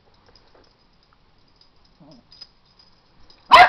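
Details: After a stretch of near silence and soft background sounds, a pet dog lets out one abrupt, loud bark while someone points out a toy to it.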